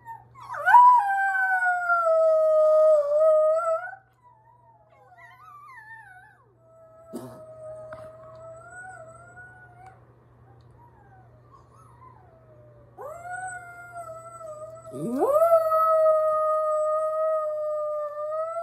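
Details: Domestic dog howls in long sustained wavering notes, a first bout at the start, then soft fragmentary sounds, and two more swooping howls that rise sharply before holding steady; faint low hum throughout.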